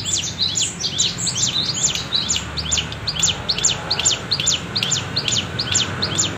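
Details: High, rapidly repeated falling chirps of a cicada in the wavy bren cigun style, used for tutoring songbirds, pulsing evenly about twice a second.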